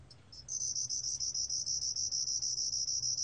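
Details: A Hong-gaseum-jongdari (Korean name, 2020 recording) sound: a small cricket gives a high, thin, buzzy trill, pulsing about three times a second, with a faint low hum underneath.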